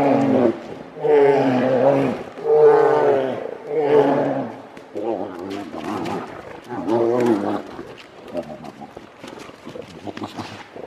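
Grizzly bears fighting give loud, throaty roars, each about a second long, with gravelly bellows coming one after another. The calls fade toward the end into lower, shorter growls.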